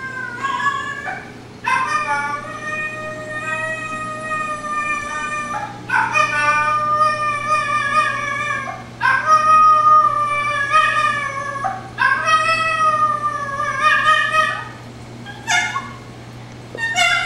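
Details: Zippy, a female miniature dachshund mix, howling when she realizes she is the only one in the room. Four long, wavering, high harmonic howls, each lasting several seconds, are separated by brief pauses over a steady low hum.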